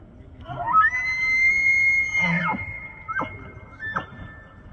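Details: Bull elk bugling during the September autumn rut in Banff, Alberta, Canada, calling to attract females, control the herd and warn rival bulls: a rising whistle held high and steady, then falling, followed by short grunting chuckles.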